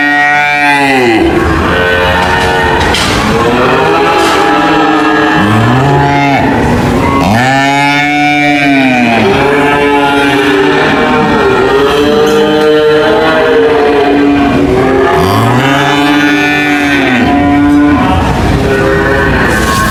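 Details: Several cows mooing in overlapping, drawn-out lows, each rising and then falling in pitch, about one every two to three seconds, with a steady background hum throughout.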